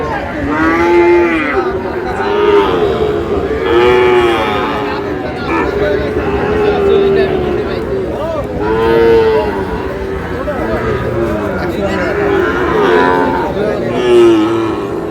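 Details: Young Sahiwal bull calves at a cattle market in Parbatipur, Dinajpur, on 8 May 2026, mooing again and again. The low, harmonic calls come every second or two and often overlap. Crowd murmur is heard underneath.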